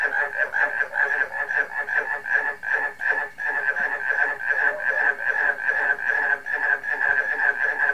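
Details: Frog chorus alongside barking crickets: dense overlapping croaks in rapid pulses, roughly two or three per second, mid-pitched and slightly nasal, swelling and fading in loudness.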